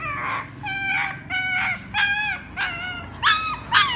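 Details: A puppy crying for its mother with long, sustained whining notes, each about half a second, held fairly level in pitch, ending in two sharper rising yelps.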